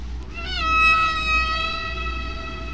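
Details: Humpback whale singing off Bermuda, one whale making every sound, heard at its natural speed and pitch: a short rising squeal that levels into a long, steady, high harmonic tone over a low rumbly hum.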